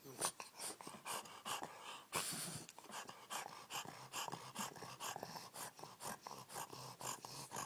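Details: Wally, a Bulldog, snoring indoors: rough, breathy rasps repeating roughly every half second, with a louder wheezy burst near the two-second mark.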